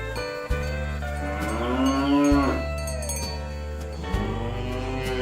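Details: Dozens of plump village cows walking in a line toward green pasture in the morning: one long moo that swells and bends downward, over a continuous low drone and faint clanking.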